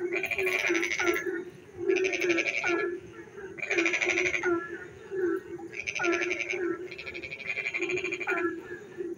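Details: At night in the rain in a quiet village, frogs call in repeated rasping bursts over a steady low trill.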